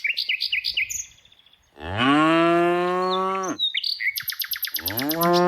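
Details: Tame cows being herded in the afternoon: one long, deep, steady moo lasting nearly two seconds, set between bursts of quick, high, repeated bird chirps.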